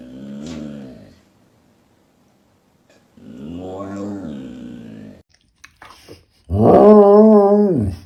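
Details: A domestic dog, filmed indoors for a funny pet compilation, gives three drawn-out, tonal, moaning vocalizations that sound like talking. The first is short, the middle one rises and falls, and the last is louder and wavering, with short gaps between them.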